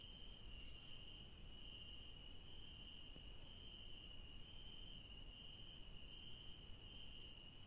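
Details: In a night garden among yellow daisies, crickets keep up an even, piercing high-pitched trill, with one faint brief hiss near the start and low background murmur.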